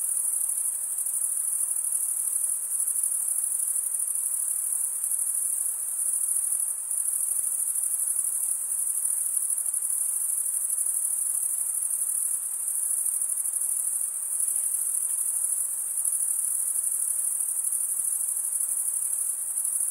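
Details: Steady high trilling of stridulating male crickets, wing scraped against serrated wing vein, running as one seamless piercing drone from start to end, with only a light background hiss and nothing else audible.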